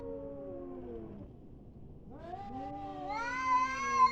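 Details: Cats fighting: drawn-out, wavering yowls slide downward, fall quiet briefly, then climb into a louder, higher, strained wail that swells toward the end.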